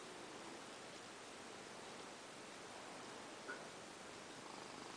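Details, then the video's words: Velvet, a tiger cat, purring while she loves her cover: a soft, steady, breathy rumble with a fine rapid pulsing, continuous across the five seconds, quiet and close, with a broad hiss-like texture and no other clear sounds. "Velvet tiger cat purring while she loves her cover"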